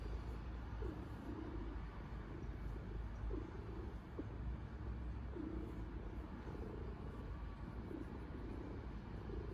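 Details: Domestic cat purring heavily while kneading a soft blanket; a continuous low vibrating rumble with faint rhythmic swells roughly every one and a half seconds, and a light tap midway.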